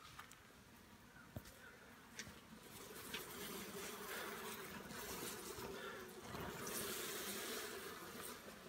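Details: Giant honey bees at a colony being worked for honey: a dense, steady broadband hum with a low droning band running throughout, plus scattered clicks and handling noises.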